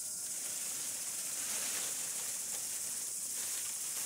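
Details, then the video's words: Desert cicadas produce an unbroken, shrill, hissing drone at a constant level throughout, with no clear birds, voices or other sounds over it. "in the sound of cicadas"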